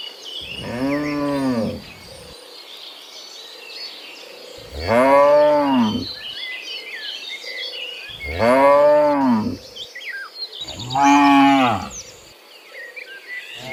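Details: Dozens of cows being herded home from the fields to the pen in the afternoon; four long, loud harmonic moos, each about one to one and a half seconds, spaced a few seconds apart, with faint bird chirps in the background.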